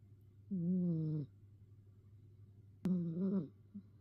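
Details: Domestic cat meowing before settling down for a nap; two drawn-out, slightly wavering mews, the second following about two seconds after the first, over a steady low hum.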